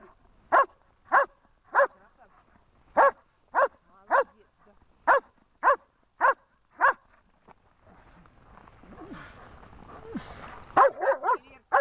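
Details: German Shepherd Amur during protection training, Horlivka, 14 February 2021: a run of about eleven sharp, evenly spaced barks, then a pause filled with rustling and scuffling noise, and a final burst of quick barks.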